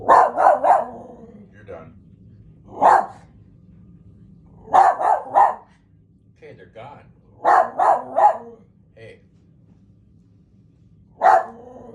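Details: Dog giving quick runs of two or three loud barks separated by short pauses, with a single bark at the end and faint room noise between.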